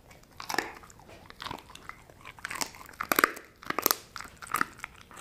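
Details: Sasha the dog crunching dried kangaroo bone and jerky chews from Australia: sharp, irregular cracking bites in bursts, roughly one to two per second, with brief quieter gaps between crunches.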